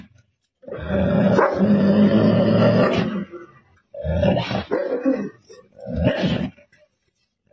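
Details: Wolf trapped in a barn, indoors: a long harsh growling roar of about two and a half seconds, then two shorter rough growling bursts, with gaps of silence between them.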